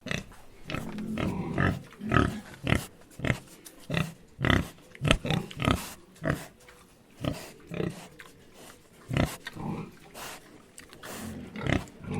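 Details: Pig grunting in short, low, rough bursts, roughly two per second, with uneven spacing and varying loudness throughout.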